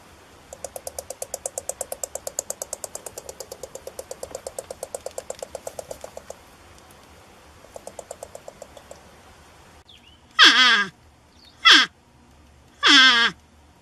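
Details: Porcupine: about six seconds of rapid, evenly paced clicking, a brief pause and a shorter burst of clicks, then three sharp cries that fall steeply in pitch.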